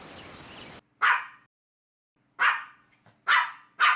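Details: Dogs playing and chasing on grass let out four loud, harsh barks separated by silent gaps, two coming close together near the end.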